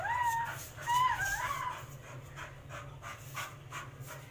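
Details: Labrador Mr Max during a fight gives two or three looping, rising-and-falling whines in the first second and a half, then softer scuffling and breathy sounds over a constant low hum.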